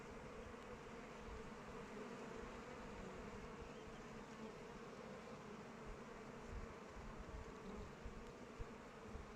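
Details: Honey bees flying around their hive in open weather, a dense continuous low droning hum with steady loudness, individual wingbeat tones blending into a broad murmur.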